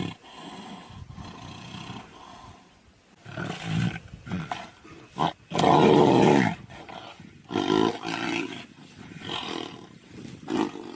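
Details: Tiger fighting a lion, with loud, harsh, broad roars and snarls in bursts, the strongest lasting about a second, between quieter growling and rustling.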